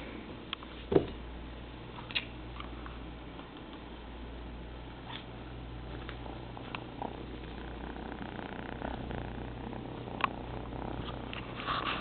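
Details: Little kitten exploring its surroundings indoors; a continuous deep purr hums underneath, broken by a sharp tap near the start and scattered light knocks and rustles.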